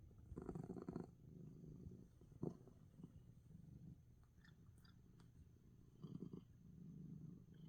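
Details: Sick domestic cat purring loudly and relaxing despite sneezing, indoors; a steady low rumbling purr in pulsing bursts, strongest near the start and end, with soft clicks in between.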